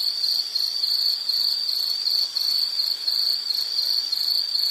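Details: Insect calling outdoors: a piercing high trill delivered in short pulsed bursts, slightly over one burst per second, at an even loudness and constant pitch, with no other clear sounds.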